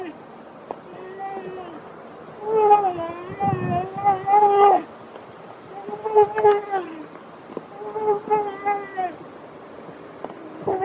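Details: Feeding black bear cubs from one family voice several bouts of moaning, quavering, harmonic whines, a noise made to keep food from the other little ones. Quiet gaps separate the bouts, with a brief low rumble near the middle.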